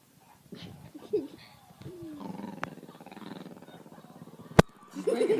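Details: Female pet dog making weird noises: low, wavering grumbling and moaning sounds rising and falling in pitch, a long throaty drone in the middle, a sharp click near the end, then a louder whiny burst.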